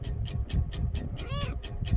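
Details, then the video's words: A small kitten meowing as it talks with its owner while being petted: one brief, high, arched meow rising then falling, over a loud, steady low rumble and rhythmic ticking. "ছোট্ট বিড়াল ছানাটি আমার সাথে কথা বলছে আর আদর খাচ্ছে"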